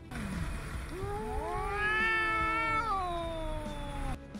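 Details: A domestic cat gives a long, drawn-out throaty yowl that rises, holds, then sags away. Adult cats yowl at each other in mating season, and a yowl may signal feeling unwell, danger or pain.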